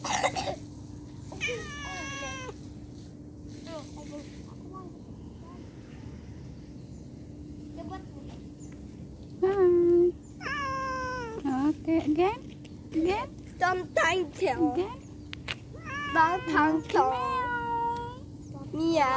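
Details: Pet cat meowing during a separation: a few early meows, a quiet gap, then a rapid run of loud, drawn-out harmonic meows, some rising and falling, over a constant low electrical hum.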